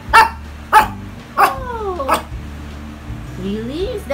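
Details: Shih Tzu family waiting at mealtime, excited for a favourite home-cooked meal of chicken liver: four sharp barks about once every half-second to second, then a rising whine, with a woman talking to the dogs.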